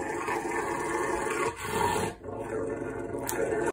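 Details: Rottweiler growling while having his nails clipped, a continuous low rumbling growl with a rough, vibrating texture held for several seconds, briefly easing once near the middle before resuming.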